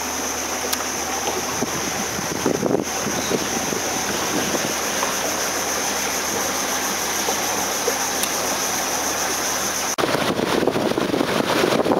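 Steady rushing water and engine-like noise with no animal calls.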